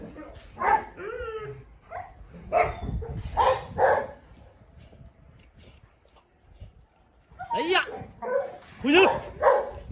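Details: Three dogs, a Presa Canario, a Rottweiler and a Staffordshire, tussling at a kennel: irregular barks and high yelping whines, a quiet pause in the middle, then a fresh flurry of barking with human voices mixed in.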